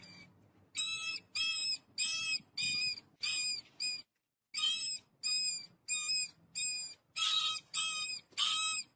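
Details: A family of rats eating wheat: loud, high, harmonic squeaks about a third of a second long, repeated in steady bursts of five with a brief silent gap between the two series, over a faint low rumble.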